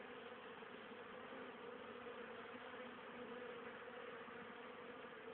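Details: Busy honey bees on 10 October 2010 bringing plenty of pollen and nectar home for winter stores; a loud, steady mass hum of many bees, uniform and droning from start to finish.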